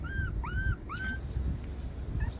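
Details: Puppies 24 days old give three thin, arching whines in quick succession, each rising then falling, before the clip fades into a low background rumble.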